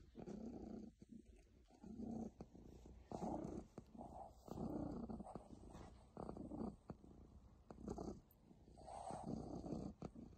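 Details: A very happy pet cat purring in low, rumbling bursts about a second long, each separated by a brief breathing pause, with some soft clicks and rustles between.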